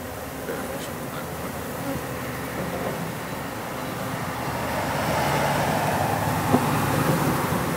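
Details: Wild bees swarming in October at a wall in an industrial district, workers and drones together; steady buzzing mass that grows louder in the second half, with low rumbling traffic-like noise underneath.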